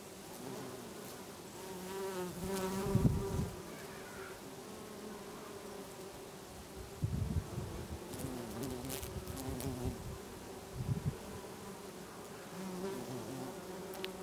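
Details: Many bees buzz in garden lavender in August in Brittany, a steady low drone that swells and fades as individuals pass close.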